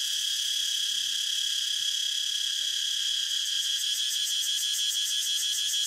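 A cicada's steady, high-pitched buzzing drone, swelling into a pulsing rhythm toward the end.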